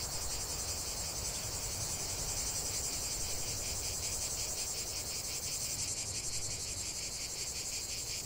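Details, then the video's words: Cicadas in full chorus, a dense continuous buzzing shrill with fast pulsing, steady and loud without break, over a low rumble of background noise. "45 min de chant des cigales"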